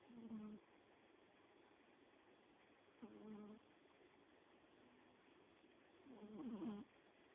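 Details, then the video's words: Doudou, a pet dog and the third dog in the household, snoring: three short voiced snorts about every three seconds, each a low humming tone with a slight wavering whine, and near silence in between. "My Snoring Dog"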